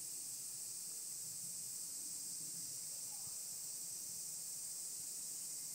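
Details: Several kinds of cicadas, higurashi among them, singing in the mountains: a dense, unbroken high-pitched shrill drone holds steady for the whole stretch, with only faint low rumbling beneath.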